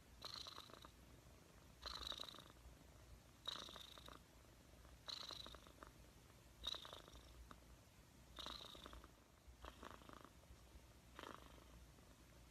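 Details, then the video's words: Domestic cat purring steadily, each breathing cycle marked by a soft raspy burst roughly every one and a half to two seconds, the bursts carrying hissy breath noise over a low continuous rumble in a quiet room. "Cat purring compilation"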